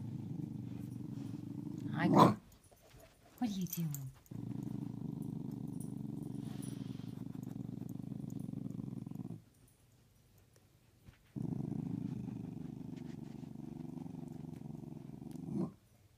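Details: Playful growling from a dog hiding under the bed while a corgi and a pit bull play hide and seek; after two brief vocal bursts comes a long, even, deep growl of about five seconds, a quiet gap, then another sustained growl.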